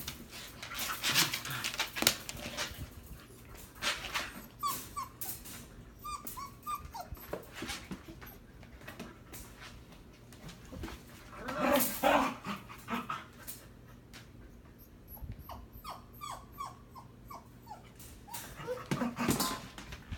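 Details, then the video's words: Husky mother and her seven-week-old puppy brawling: scuffling noises with short high whiny yelps and squeaks from the puppy, bursts of rough growly vocal sounds, and a steady low hum behind. "Husky Mama and Puppy Brawling"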